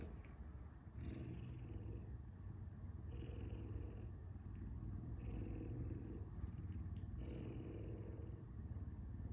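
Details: Pet puma kept at home purrs in a deep, continuous rumble with rhythmic swells about every two seconds and quiet background hiss.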